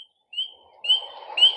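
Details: In spring, a tiny spring peeper frog, one of the first animals to wake from winter sleep, gives clear, high, rising peeps about every half second over a soft, lower rushing sound.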